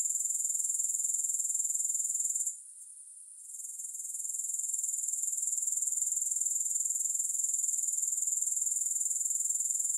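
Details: Grasshoppers with no music: a steady, very high, rapidly pulsed buzzing trill that drops out briefly around the third second, then fades back in and continues evenly.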